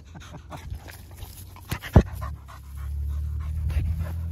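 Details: Dog panting among dogs gathered at a fence: quick rhythmic breathy huffs, several per second, with a sharp louder puff near the middle, over a steady low engine-like hum outdoors.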